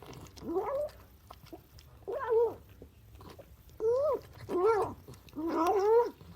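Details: Excited domestic cat vocalizing loudly while eating breakfast indoors: short bursts of warbling, rising-and-falling moans separated by quiet gaps of chewing, growing longer and louder toward the end.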